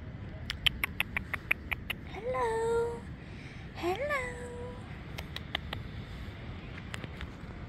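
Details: Stray cats and kittens living by the ocean in Portugal, fed dry food, treats and water alongside a local cat rescue. Two drawn-out meows rise and then level off, among sharp repeated clicking taps and a steady background hiss.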